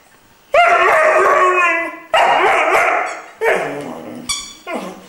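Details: Irish Wolfhound puppy Glor na Gael Iarla, three months old, singing: long harmonic howls with rising and falling wavering tones, four drawn-out phrases separated by short breaks, each fading at the end; indoors.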